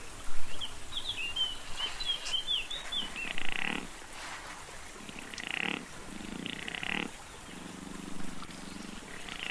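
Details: Male chamois in the rut, recorded 18 November 2022, giving its discreet bleating rut call: rough, pulsed bursts of short buzzy bleats at irregular intervals, some several seconds apart, with thin high bird whistles early on.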